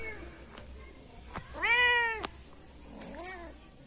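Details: Two kittens about a month old, born to two sibling mother cats and living outdoors in a yard: one loud, bright arched meow, then a softer, shorter mew, with small clicks and light background hiss.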